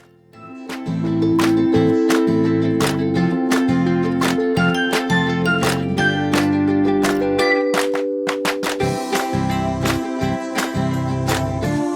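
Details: Cheerful plucked ukulele music with chiming tinkles plays throughout.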